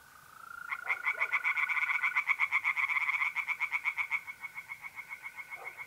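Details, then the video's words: Pond chorus of tree frogs at night in mid-April, North-East Italy. After a quiet start, fast clicking pulses swell to a loud rattling series, then fade slightly, over a continuous thin mole cricket trill. "relaxing singing tree frogs in pond"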